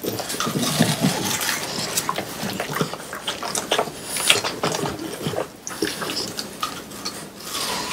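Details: French Bulldogs Pang, Kun and Ppo eating watermelon indoors on a hot summer day, recorded close for ASMR; wet, crunchy chewing and slurping clicks come in quick irregular bursts, with soft juicy smacks throughout.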